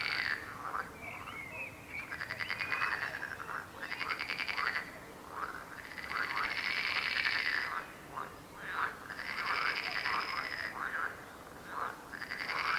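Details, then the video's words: Frogs calling in a busy chorus: rattling, pulsed croaks in repeated bursts of one to two seconds, interleaved with short rising and falling notes, many voices overlapping throughout. "Rechot żab. Croaking frog sound."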